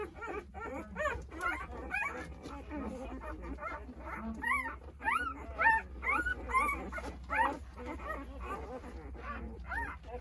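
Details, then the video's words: Nine 8-day-old Jindo puppies whimper and squeal in overlapping, rising-and-falling cries, looking for their mother while she eats a snack. "어미찾는 9마리 강아지들 생후 8일차❤️ 진돗개 어미~ 사랑이 간식먹는 사이에"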